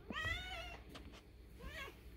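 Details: Fully grown male house cat calling while being fed early, sounding like a kitten: a soft, thin meow with a wavering pitch, then a shorter, quieter rising-falling mew, with faint low room noise.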